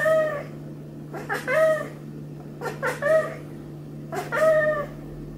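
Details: Hélios, a Maine Coon from a cattery in the South of France, meows repeatedly during a massage: clear harmonic meows, some in quick pairs, roughly every second or so, over a low steady hum.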